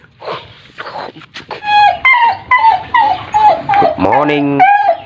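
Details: A black pet dog play-fighting indoors with a person's hand, kung-fu style, gives a run of high, whiny yelps that slide downward, each with bright overtones, several in quick succession after a brief human voice.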